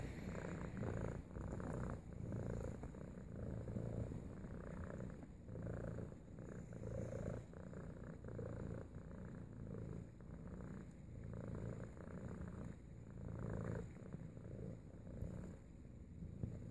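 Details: Low, continuous purring of a house cat greeting its owner back from work, a soft rumble pulsing steadily throughout with slight rises and falls in loudness and faint rustling.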